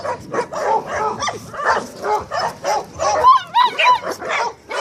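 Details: Staffordshire Terriers making rhythmic short barks with brief tonal whines in between, including a wavering high whine halfway through, bursts arriving roughly every half second.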